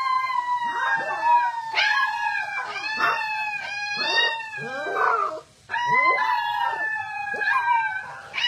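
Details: Alaskan Malamute puppies in a group howl give high, drawn-out wavering notes broken by short yips.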